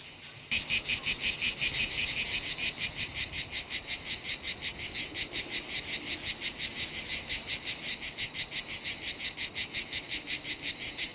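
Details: Summer chorus of cicadas in Provence, so dense it seems an invasion, while a young dog falls into a trance: a steady high shrill buzz pulsing rapidly and evenly throughout.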